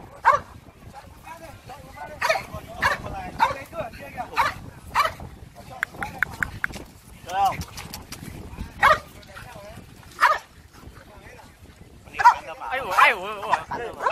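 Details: French Bulldogs gather for a group meetup at Yen So park in Hanoi, Vietnam. Short, sharp barks come at irregular intervals, about eight in all, mixed with Vietnamese chatter from people nearby.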